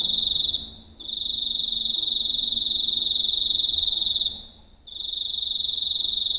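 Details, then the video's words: Giant cricket recorded up close at night in the countryside, a loud, high, rapidly pulsed buzzing trill held for several seconds, broken by two short pauses before resuming, with quiet low background hum. "Suara Jangkrik Raksasa"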